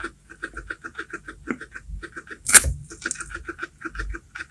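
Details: Guinea pig (Cavia porcellus) eating baby corn, a fast, steady run of crisp crunching chewing clicks.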